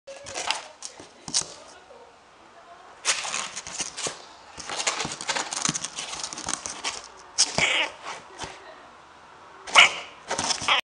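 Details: Dog at a pet shop giving a series of sharp, noisy bark bursts in irregular clusters, loudest near the start, middle and end, with short quiet gaps between volleys and faint background noise.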